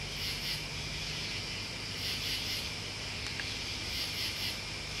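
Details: Crickets and other bugs in a continuous high, shimmering chorus, with soft rhythmic pulses higher up recurring about every second or two, over a low background hum.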